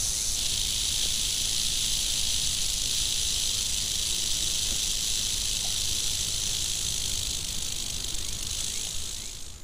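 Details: Western diamondback rattlesnake, agitated and angry, keeps up a continuous dry buzzing rattle at an even loudness, fading slightly at the very end.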